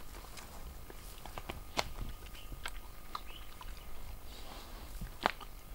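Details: Female Indian wild boar eating her own piglet at Sariska National Park, Rajasthan, India: chewing and crunching bone, two sharp cracks above a low, muffled rumble of wet gnawing; grey partridge calling in the background.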